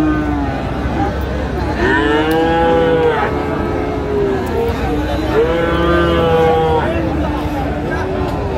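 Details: Cattle at Raniganj cattle market in Dinajpur, Friesian and crossbred bull calves about six to seven months old: several drawn-out moos with rising and falling tones overlap, over steady crowd chatter and market noise.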